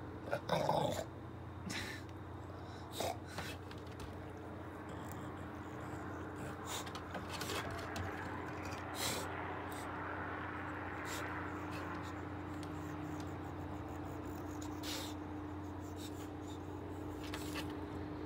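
An English Bulldog gives a short, louder vocal burst at the start, then keeps up low, rasping growls and snuffling grunts. A constant mechanical hum runs underneath throughout.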